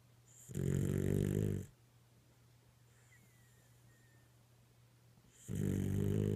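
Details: A dog snoring in its sleep, with two deep, rattling low snores about five seconds apart and near silence between them apart from a faint steady hum.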